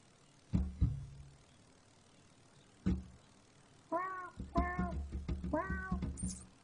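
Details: Cat meowing indoors: low thumps and knocks early, then three clear harmonic meows in quick succession near the end, each slightly arched in pitch, over a steady low hum.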